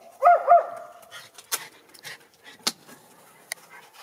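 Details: Schipperke, one of two young dogs playing in backyard snow with deer about: two quick, sharp yappy barks right at the start, then sparse clicks and rustling noises.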